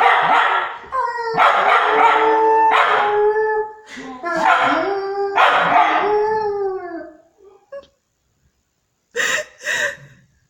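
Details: Scolding from a nine-month-old Fox Terrier aimed at a Dogo Argentino friend back from half an hour away: a run of loud, howl-like yowling barks with falling tails, then a pause and two short, quieter yaps.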